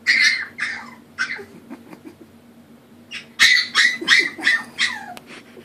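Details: Puppy Molina whimpers at the stairs, wanting help to climb; a run of sharp, high squealing cries, a pause, then a louder cluster of rapid whines, over a faint steady hum.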